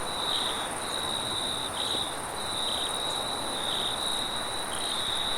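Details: Crickets trill steadily in a high, continuous chorus at night in a forest, with soft wind in the background.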